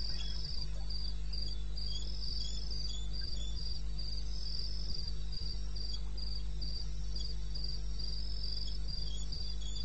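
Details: At 2:30 AM on 21 May in the wild bush of eastern Botswana, crickets keep up regular high-pitched pulses, about three per second, over an unbroken low hum.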